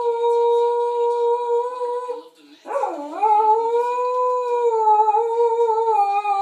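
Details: Pet Shetland Sheepdog howling indoors after its owner left for the store: long sustained tonal howls with rich harmonics, steady then briefly breaking with a rough, wavering dip near the middle before resuming a smooth, slightly rising wail.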